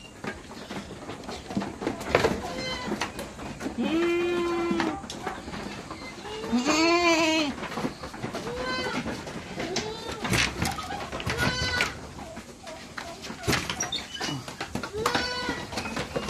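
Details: Goats on a backyard farm in the Philippines, calling in the morning before being let out: several wavering, quavering bleats of varied pitch overlap, with background music and clattering throughout.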